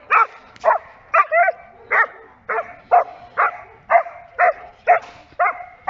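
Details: Giant Schnauzer barking during protection training: loud, sharp barks repeated about twice a second in a steady run, each bark short and ringing, with no other clear sounds.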